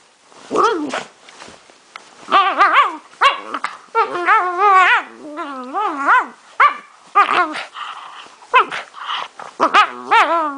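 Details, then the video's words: A male pet dog making strange noises gives a run of wobbly, sing-song whines and yowls that bend up and down in pitch, separated by short breaths and quieter gaps. "My dog makes strange noises"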